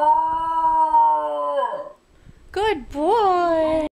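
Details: Basenji singing: a long steady tone fading away, a brief pause, then short rising and falling yelping yodels ending abruptly.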